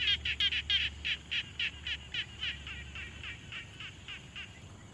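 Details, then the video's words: Frogs at a quiet pond, taken with a Tascam Portacapture X6 field recorder: a steady run of about sixteen short, raspy, pulsed croaks, roughly three per second, fading slightly toward the end over a faint low hum. "Frog Sounds| #001 |Quiet Pond Nature Ambience"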